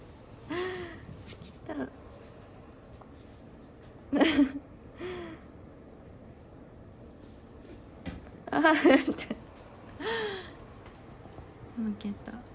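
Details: A jealous cat named Chābō calls indoors while another cat, Myu, is picked up from a doze in a hammock. Several short arched meows come a few seconds apart, mixed with a person's speech and breathy sniffs in a small room.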